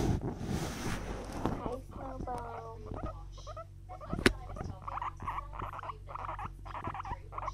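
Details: Guinea pig licking a finger, giving a series of short rising squeaks in stacked tones, with a low steady hum throughout and a sharp click near the middle.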